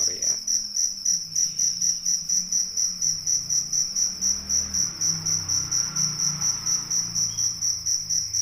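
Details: Indonesian crickets, a rice-field cricket kept with a fighting cricket, producing a continuous piercing trill pulsing about twice a second, over a faint low murmur.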